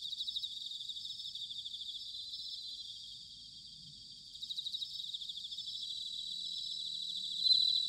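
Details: Bell cricket song in autumn, Sanuki, Chiba Prefecture, Japan: overlapping high, fast-pulsed trills forming a constant shimmer, dipping briefly near the middle and brightening again, with a clear ringing note near the end.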